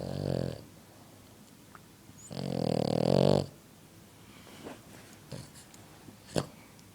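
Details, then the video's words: Sleeping French Bulldog indoors, snoring very loudly: a short snore at the start, then one long, heavy, rattling snore lasting about a second, followed by faint clicks and small rustling sounds. "my dog snoring extremly loud!"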